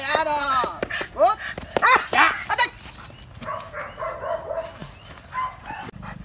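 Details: Dog being trained to get excited and bite, a burst of sharp rising yelping barks in the first two and a half seconds, then softer whines and a person talking.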